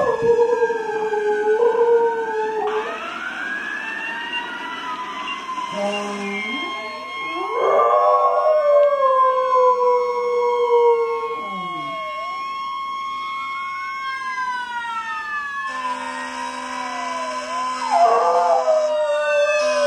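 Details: A dog that had shown no interest for six years now howls at passing fire truck sirens; long wavering howls slide up and down over steady wailing siren tones, with several sirens sweeping and overlapping throughout.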